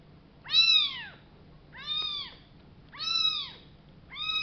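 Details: Two rescued baby kittens found in a box, meowing as they are fed: four loud, arched, descending meows about one second apart, each clear and harmonic over a quiet background.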